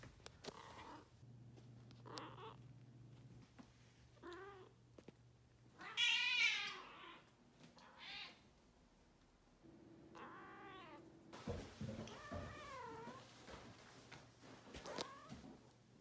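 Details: Balinese cat, a pet, meowing repeatedly: harmonic, wavering meows, some rising then falling, spaced a few seconds apart, with one louder, strained cry midway. A steady low hum and brief clicks and rustles are also heard.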